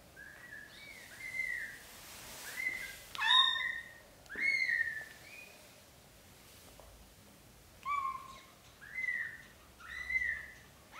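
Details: British Shorthair mother cat, black golden, carrying her newborn kittens into a small nest instead of a large bed; high, thin, arched mews come in short bursts, some sliding upward, with quiet gaps between them and faint background hiss.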